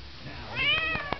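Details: Cat being patted on its rump indoors, letting out a single meow that rises and then falls, with soft thumps of patting. A man's voice praises it before and after.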